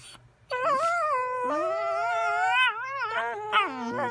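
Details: Dogs singing in a sustained, wavering howl that holds for over three seconds, sliding gently upward, then dipping and rising again in short bends toward the end, with a faint low hum beneath.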